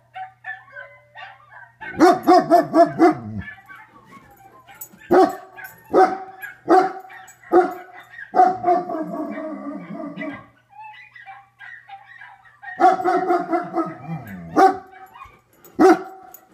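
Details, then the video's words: German Shepherd giving a long bout of barking and howling: rapid bursts of barks, single spaced barks, and drawn-out harmonic howl-like stretches with falling tones, pauses between bursts, a low hum in the background. "Guaranteed to make your dogs bark! German Shepard"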